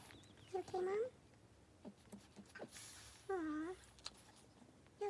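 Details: Boston Terrier indoors during labor and delivery of nine purebred puppies, born on day 63, January 23, 2018; two drawn-out, arching whine-like cries roughly two and a half seconds apart, with soft rustling and handling noises between them.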